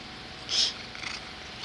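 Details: Domestic cat sneezing indoors: a single short, sharp hissing burst of breath in the middle of the clip, against quiet room background.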